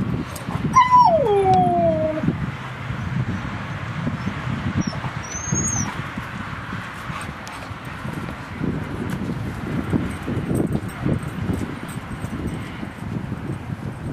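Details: Two dogs playing at Seal Point Dog Park on the western side of San Francisco Bay, August 10, 2015: one high whine slides steeply downward early on, then steady outdoor rumble and scuffling with a faint squeak later.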